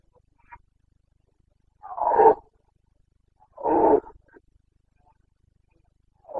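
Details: Carpathian stag, a red deer, roaring during the breeding season in the Bucovina mountains, Romania, 29 September 2022: two loud, hoarse, drawn-out bellows about two seconds apart, with faint shorter grunts between, in an otherwise quiet setting.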